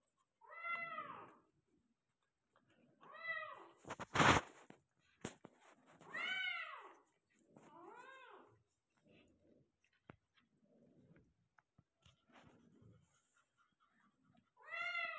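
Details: Persian cat in labour, delivering five kittens: repeated arched meows spaced a few seconds apart, a loud knock near the fourth second, then quieter rustling before a final meow.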